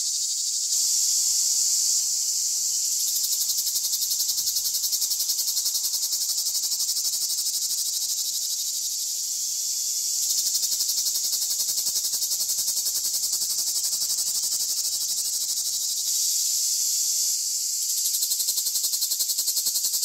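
A dense chorus of cicadas produces a continuous, shrill buzz, bright and hissing, with slight swells in loudness. The sound holds almost without pause from start to finish.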